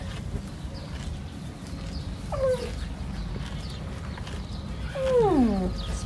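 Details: Young camel calf, called saqb, ha'il or huwar in Arabic, calling while its mother refuses to accept it; a sad, distinctive voice. Two harmonic bleats fall from high to low, a short one and then a longer one, over steady rumbling background noise.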